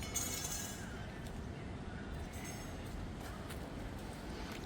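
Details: Quiet steady hiss with faint clinking and distant rumble, no animal sound.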